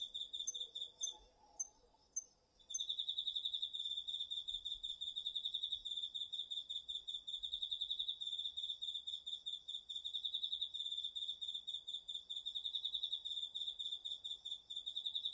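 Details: Garden field at night in autumn, crickets and other insects recorded on a DR-40X: a brief lull with a few scattered high ticks, then a loud, dense chorus of fast, high pulsed trills.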